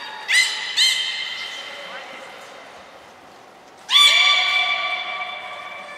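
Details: Aquarium belugas Hodoi, Taanya and Mirai during a training session at Port of Nagoya Public Aquarium, Japan, 1 November 2020; two quick squeaky calls, a quiet gap, then one long, strong harmonic squeal.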